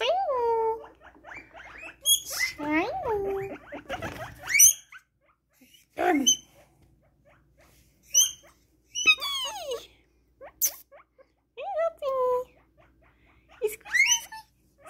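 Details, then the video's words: Pet guinea pigs getting excited squeak loudly in high, bending whistles that swoop up and down in quick bursts. "Excited Guinea Pig Noises!"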